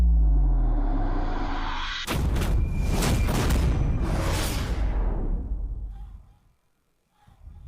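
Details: Dramatic music with booming low rumble and whooshing sweeps that fades out, with no animal sound heard.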